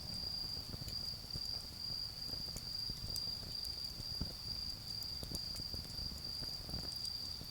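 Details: A garden bonfire with autumn insects calling: a high, slightly pulsing trill that flickers on and off continues over frequent crackles of burning wood and a low rumbling background.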